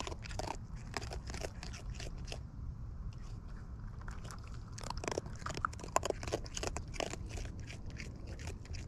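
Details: Wild raccoons feeding at close range, filmed in the wild: dense crunchy biting and chewing clicks repeated rapidly throughout, with a steady low rumble underneath.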